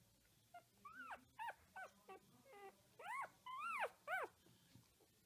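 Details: Puppies giving high, arched whimpering squeals, several rising then falling notes in quick irregular succession, some short and faint, the loudest near the end; quiet background otherwise.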